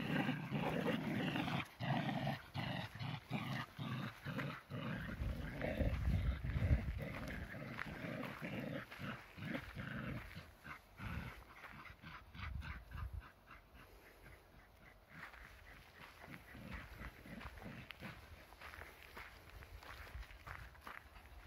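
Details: Two tricolour Shetland Sheepdogs playing tug of war, the lighter one keeping up against the heavier dog; low rumbling growls and huffs pulse rapidly through the first half, then fade to softer tugging noises and scuffling.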